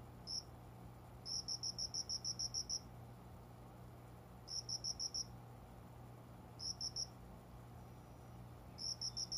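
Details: Cricket hidden in window-side plants inside a room before dawn in summer; bursts of eight to ten rapid, evenly spaced high pulses, broken by pauses of one to two seconds, a low hum steady underneath.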